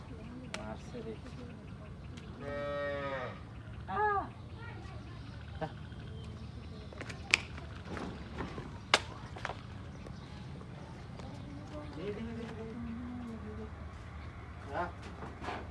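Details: Village cattle being brought into their shed in the evening, with one loud drawn-out moo rising then falling near the start. A shorter low moo follows later, among scattered knocks, clatter and people talking.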